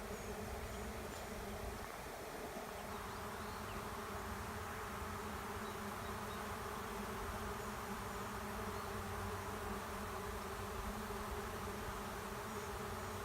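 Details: A honey bee swarm choosing between empty hives at the end of a driveway and moving in; unbroken, dense droning buzz of many bees, steady in loudness, with a few faint distant bird chirps.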